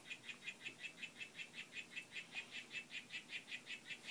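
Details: Courting and displaying Oophaga histrionica Whitefoot in a group, giving a fast regular train of brief buzzing chirps, close to three per second, each note alike and evenly spaced against a quiet background.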